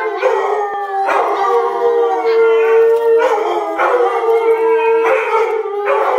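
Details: Dogs howling as an adult leads puppies in vocal practice: long, steady held howls that swell and restart about every second, one clear sustained tone running underneath the group chorus.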